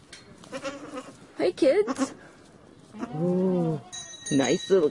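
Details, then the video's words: Goat giving one steady, low, drawn-out bleat, followed by a short higher quavering cry. Human voices are heard just before, and a faint bell rings near the end. "Con dê Tiếng kêu và hình ảnh con dê Ai nói dê kêu beeeeeee"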